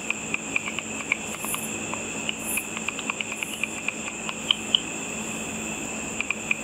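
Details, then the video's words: Bats flying over a pool after dark, busy eating insects, heard via a simple ultrasonic frequency-divider detector as near-continuous, fairly regular dry clicks throughout, set against a steady high electronic hum and hiss. "A video of bats with audio of the bat calls."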